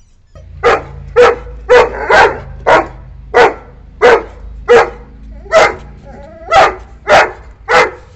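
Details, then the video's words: Angry barking from a nine-month-old Saint Bernard puppy driving a visiting wild cat away from the home boundary: loud, deep barks repeated roughly every half second in a steady run, with a faint low hum behind. "ANGRY DOG BARKING SOUND ll TOO LOUD ll St. Puppy throws raging temper on spotting a Cat"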